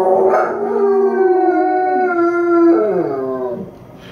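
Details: A dog named Doodle howls along with Basset Hounds on TV: a long, sustained tonal howl with rich harmonics, holding steady then bending and falling toward the end, with faint music in the background.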